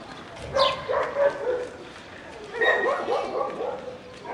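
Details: Ozi, a puppy up for adoption, gives two short bursts of high, tonal yips and barks, the second burst longer and busier, while a person's voice calls softly nearby.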